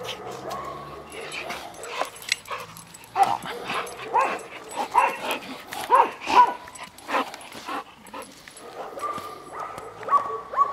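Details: Golden Retriever up for adoption, mixing brief yipping barks with thin whimpering whines, clustered in the middle of the recording, while human voices talk quietly in the background.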